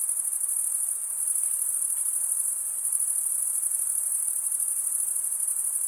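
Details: Cricket chirping from males rubbing their wings together: an even, piercing high-pitched trill running without pause, softly pulsating, in an otherwise quiet background.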